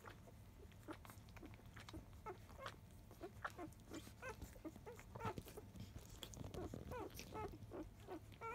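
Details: Field-line Labrador Retriever puppies, five days old, nursing at 10 a.m. from their mother biscuit, a 2017 JFA Grand Champion. Faint, brief high squeaks come scattered and overlapping over a steady low hum and soft rustling.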